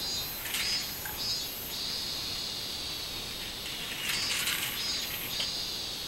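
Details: Minmin cicada, 24 July 2016: shrill buzzing with quick pulsed beats at the start, a steady drone in the middle, then another burst of strong throbbing pulses.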